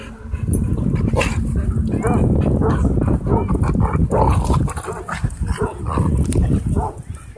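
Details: Playful scuffle among dogs at a dog park, dominated by dense, low, continuous growling with a few sharper yelps breaking through; the noise stays loud throughout.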